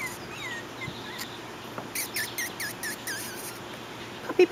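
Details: Puppies on their first time outside: a quick run of short, high, arched whimpers and squeaks packed into the middle of the clip, with an earlier single whine and faint background hiss.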